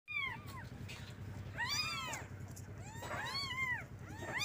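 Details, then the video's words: Kittens calling for their mother to get milk: high, arched meows with rich harmonics, several overlapping in bursts around the first second, then again near 1.8, 3.2 and 4.4 seconds, over a steady low hum. "Suara anak kucing panggil Induknya"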